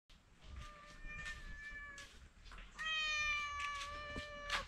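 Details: Pet cat, one of two cats eating dry food indoors, gives two long, steady, clear meows, the second louder and held about two seconds, over soft crunching of kibble.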